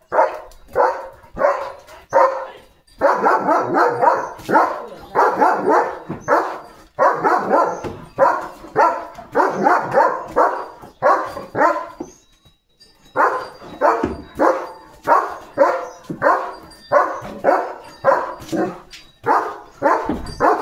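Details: Leo, a pet German Shepherd, barks as cattle go past. A long run of rapid, loud barks comes roughly every half second in bursts, broken by a short pause near the middle. Faint background music plays.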